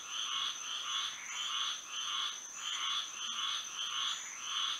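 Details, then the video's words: Frogs singing on a moonlit Florida night, a string of rounded, twangy croaks about every half second, slightly irregular, with one short gap mid-way and a sustained high-pitched tone throughout. "A frog symphony to sleep and relax to"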